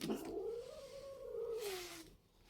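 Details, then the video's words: House cat, indoors, squabbling with another cat named Karamel, a long low moaning caterwaul that rises slightly then sags over two seconds, with a brief hiss-like rush of noise near the end. "Çaki Kedi"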